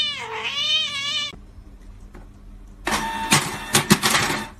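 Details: Kitten giving one drawn-out, clear tonal meow that dips and then holds level for over a second, followed by a pause and then loud scratchy clattering noises near the end.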